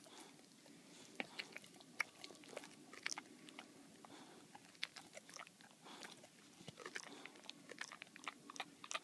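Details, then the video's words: Boxer named Baxter chewing a bully bone inside; dense bursts of crisp crunching and biting clicks come in quick irregular clusters against a faint background hum. "Baxter the boxer dog loves his bully bone"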